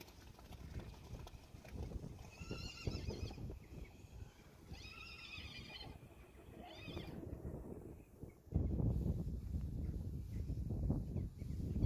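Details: Friesian horse foals of a herd playing in water; three short high tremulous whinnies near the start, then loud splashing and rushing noise takes over from about eight seconds on.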